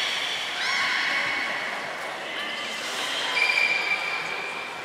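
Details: Beluga during a training session with Gray, Nana and Mirai at Port of Nagoya Public Aquarium, 6 August 2023: layered tonal squeals with stacked harmonics, a brief rising sweep near the start and a thin steady whistle late on, over indoor hall noise.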